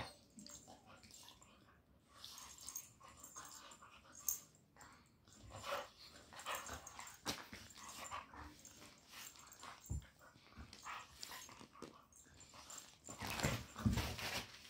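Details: Siberian Husky playing indoors in a room in India, giving short irregular whines, grumbles and yelps in scattered bursts, with thumping and rustling from play throughout.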